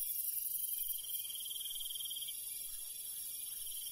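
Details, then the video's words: Cricket calling at night in the countryside: a steady, high, rapidly pulsed trill runs almost without a break, over a dense, hissing chorus of other insects higher up and faint low rumble. "Countryside night bug sound ASMR - cricket sound"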